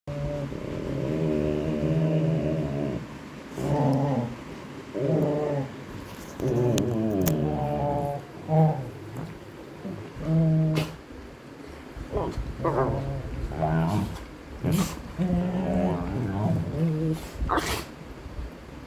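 Golden retrievers trade low, throaty growls and moaning grumbles in bursts during rough play.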